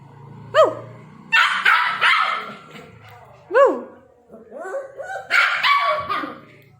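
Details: A puppy told to speak gives yips and high barks, sharp rising-falling notes alternating with harsher, noisier barks.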